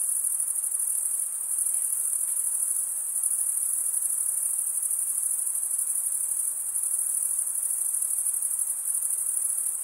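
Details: Crickets chirping by stridulation, males rubbing one wing's edge across the toothed vein of the other; a dense, unbroken high-pitched shimmer holds steady throughout, with no other sounds.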